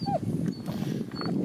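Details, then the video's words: A four-year-old female Finnish Spitz gives short, rough, mid-pitched barks over steady outdoor hiss, checking out two lakes and barking at a blackbird whose thin whistle is heard, at Hagryd-Dala, Sandsjöbacka Nature Reserve near Göteborg, Sweden, on a 15-degree day. "Finnish Spitz tests two lakes and barks at blackbird"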